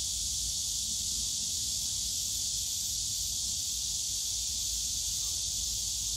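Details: Summer cicada chorus in the bamboo forest at Yongsan Family Park, heard as an unbroken, loud, hissing high drone with no pauses, and faint low background hum from the surrounding park.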